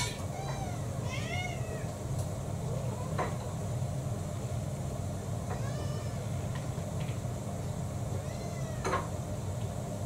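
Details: Pet cats waiting for food, breakfast through dinner: two quick meows open the recording, followed by faint scattered meows and soft knocks against a constant low background hum.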